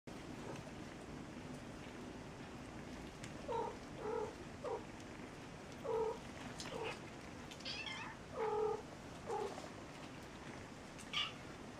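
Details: Kittens frightened after a cat's failed jump, giving a series of short, faint meows scattered through the recording, several brief mews in quick succession with pauses between, over a steady background hiss.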